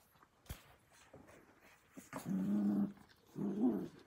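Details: Australian Cattle Dog puppies, blue heelers born in May, playing together in a pen; two low, steady growls of under a second each, with scattered thumps and rustling of play.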